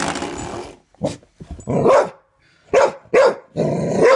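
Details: Dog barking at a doorstop indoors while a man flicks it repeatedly; rough, noisy barks overlap loud broadband sound, with a few sharper barks near the end.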